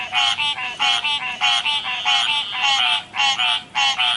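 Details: River frogs croaking in short, nasal, ringing bursts, each a cluster of quick notes, separated by brief gaps in an uneven rhythm.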